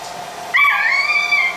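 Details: Pit Bull puppy at play lets out one drawn-out, high, thin whine lasting about a second, held at a steady pitch after a sudden start, with a faint hum behind.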